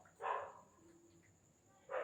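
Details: One of a litter of Indian desi puppies, with the pup Durga called by name, lets out a single short squeaky bark, followed after a pause by a second bark starting.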